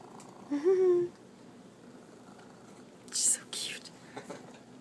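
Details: Petted female Manx cat, stub-tailed with extra front toes, giving one brief rising trill-like chirp with clear harmonics near the start, followed by whispery human murmuring and rustling in a small indoor room.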